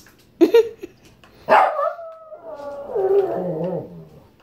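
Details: Shih Tzu upset and wanting fruit: a quick double yap, then a louder bark sliding into a long wavering whine that drops lower and fades.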